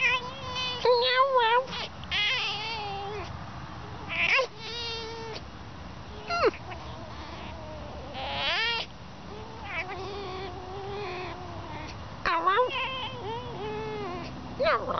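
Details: Pet fox playing indoors, giving repeated wavering, warbling whines and squeals with rising and falling pitch in bursts across the clip, with a person talking and music in the background.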